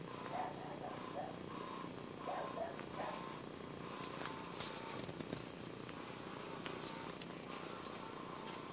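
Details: A domestic cat purrs indoors with a deep, unbroken rumble. Quiet speech-like sounds come early on, and light clicks and rustles follow later.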